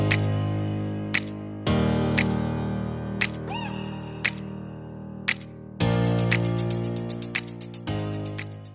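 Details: Instrumental music with sustained tones and sharp rhythmic percussive hits throughout, no animal voice.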